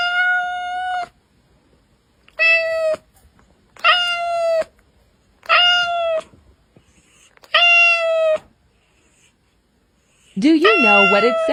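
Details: Series of five even, flat meows about a second or less each, spaced roughly every one and a half seconds, then a wavering, yowling meow at the end; cat sounds to attract cats.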